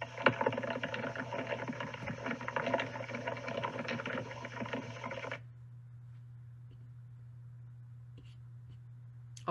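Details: Ants walking on a plant, annoyed at the disturbance and attacking the accelerometer recording plant vibrations where treehoppers live, make a dense, rain-like crackle of tiny taps that suddenly stops.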